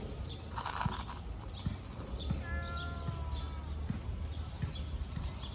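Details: Loud meow from a fat ginger cat wanting to eat, a single clear tonal call sliding gently downward, with low rumble and soft tapping sounds behind it.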